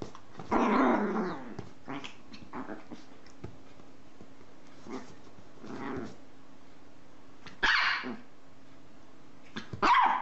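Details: Dog making a drawn-out rough growl-like sound followed by softer grumbles and two sharp barks later, over a steady low background hum.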